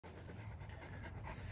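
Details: Kangal shepherd dog in Turkey, panting steadily in short, even breaths: a soft, continuous breathy rasp over a low rumble, with no barks or voices.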